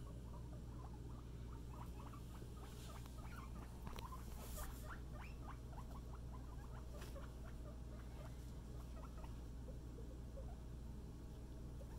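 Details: Scruff, a pet guinea pig, on floor time playing with a friend: a steady stream of quick, soft, faint squeaky ticks and chatter over low rustling and pattering movement, with a constant low hum beneath.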